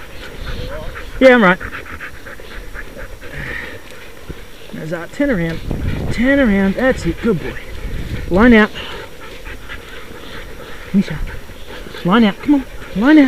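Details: Sled dogs in the 6 Dog heat of the Wild Dog Derby race, South Australia, 2012: wavering, rising-and-falling whines and yelps burst out every few seconds, with human voices talking and a steady background rumble.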